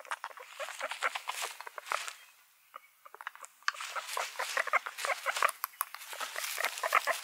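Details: A group of guinea pigs gives crowded bursts of short squeaks and chirping notes. The calling quiets to a near lull midway, then swells back into steady, overlapping chatter.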